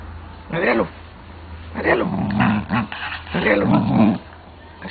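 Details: Pit bull growling during a play fight, deep rough bursts in several bouts over a few seconds, with a man speaking Spanish nearby and a steady low hum underneath.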